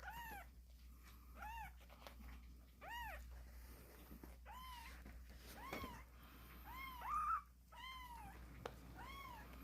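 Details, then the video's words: Kittens crying vigorously: a series of short, arched, high meows, each rising then falling, roughly every one to one and a half seconds, over a steady low hum and some soft rustling. "씩씩하게 우는 새끼고양이들, 제법 고양이 소리가 나는거같죠?"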